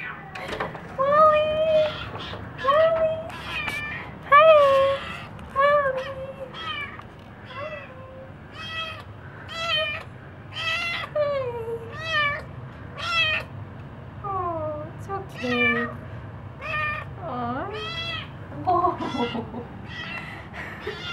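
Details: Kitten, relieved to greet its owners home from a short weekend trip, meows over and over in high, bending mews in quick succession.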